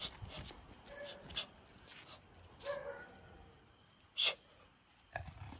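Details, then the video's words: Active street dogs out at night on a 'night shift vettai' (night hunt): soft, brief whines and yelps scattered over a few seconds, with sharp, sudden knocks and clicks and a faint steady background hiss. "Active street dogs | Night shift vettai"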